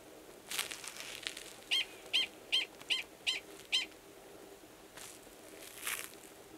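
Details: Gunnison's prairie dog male, wild in Valles Caldera National Preserve, New Mexico, March 2017, calling before going underground to mate with an estrous female in a nearby burrow; six sharp high chirps, about two every second, with faint background noise.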